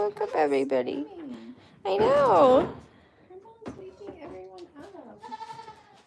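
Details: Goats at The Willful Goat Farm & Home give loud, tremulous bleats: a wavering cry, then a longer, stronger bleat that rises and falls, followed by softer bleats and some background talk.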